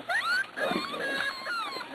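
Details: Six-week-old Corgi puppies, weaned and eating dry food, give high, thin whines that rise and bend in quick overlapping cries over about two seconds, with a soft lower grunt partway through.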